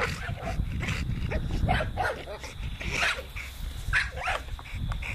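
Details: Short whining yelps from an American Bully called T-Rex, several curved squeaky notes over steady low rumbling and scattered clicks.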